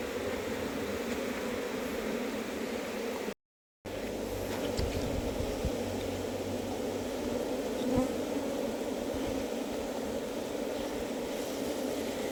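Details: Busy hum of a heavily populated wild honey bee colony in a hive box: an unbroken, even, droning buzz throughout, with one brief cut and faint handling thumps.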